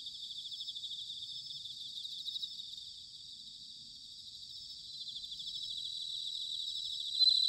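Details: Bell crickets calling on an autumn night at Sanuki, Chiba Prefecture, Japan: a dense, high-pitched shimmering chorus of pulsed trills that dips slightly in the middle and grows louder toward the end, with no other sounds.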